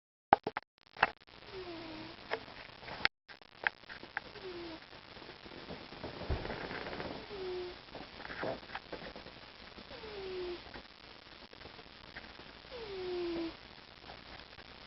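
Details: Mr. T, a loud-breathing pet cat, snoring indoors: soft whistled tones sliding downward, one every three seconds or so, faint against a quiet room hiss with a few sharp knocks near the start.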